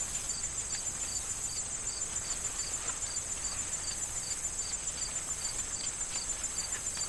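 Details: In a fall corn field, crickets keep up a regular, slightly slower pulse of thin high chirps layered on an unbroken shrill drone, with occasional light rustles of corn stalks in the autumn wind.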